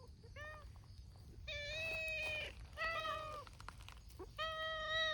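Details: Noisy outdoor gathering of abandoned community cats, including a calico-and-white female: a series of loud, long harmonic meows, three drawn-out calls with short gaps between, preceded by a few faint shorter mews.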